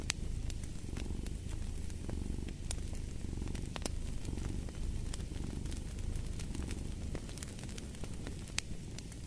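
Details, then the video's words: Cat purr beside a crackling fireplace: a deep, pulsing rumble rising and falling roughly every second, with frequent bright snaps of burning wood over it. "Fall asleep to the Purring of a Cat & Fireplace"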